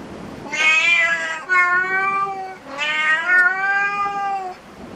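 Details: Cat cafe cat giving two drawn-out meows of about two seconds each, each starting with a bright harsh onset then settling into a smooth, slightly falling tone.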